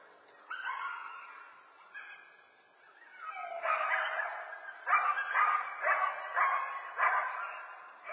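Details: Coyotes give drawn-out, wavering howls, then a run of sharp, yelping barks.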